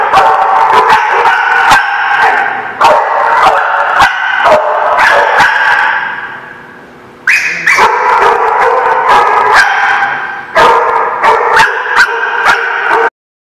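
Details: Dogs barking, recorded 18 November 2017; a loud, dense, distorted chorus of overlapping barks and yips that dips briefly near the middle before resuming just as intensely.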